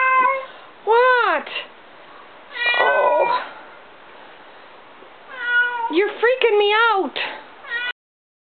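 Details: Kitten found outside, feared injured or in a fight, giving loud, drawn-out meows that arch up and down in pitch, in three bursts with quick repeated cries near the end, while a startled person talks.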